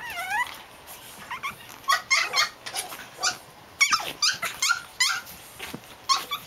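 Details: Playing Japanese Chin puppies, named Hestia, Fizzz, Asti and a baby girl; a falling whine opens, then rapid squeaky yelps and grumbling growls in clustered bursts, with a woman's voice calling names.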